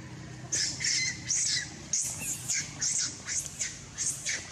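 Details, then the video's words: Loud crying from a baby monkey during monkey mating, a run of eight or so shrill, strained screeches in quick succession, each brief and high-pitched, with a faint low rumble underneath. "baby monkey crying louder"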